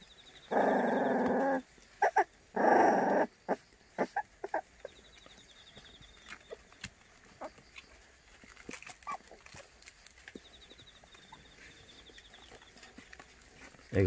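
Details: White Baekgu puppies, part of a litter of seven offered for adoption in Cheongdo County, Korea. Two drawn-out whining cries of about a second each, then a run of short scattered yips and clicks, a quiet rural background.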